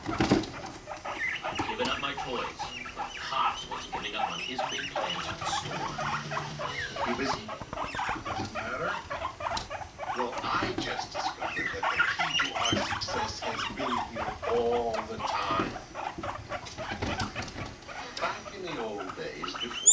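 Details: Mating guinea pigs, male Rumply with five-month-old female Fluff; long, dense chains of rapid pulsed rumbling rise and fall in loudness for twenty seconds, with occasional brief chirps and bedding rustle.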